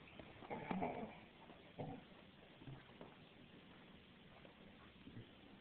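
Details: Six-month-old black Labrador puppy, female, playing with a toy indoors, making soft whiny whimpering noises: a louder burst near the start, then brief faint grunts and squeaks spread through a quiet room.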